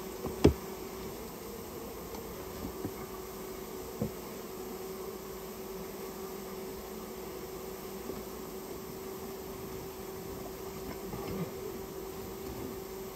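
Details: Steady, even drone of a Japanese honey bee colony being cleared out of a storehouse where it had nested, with occasional faint taps over the constant hum.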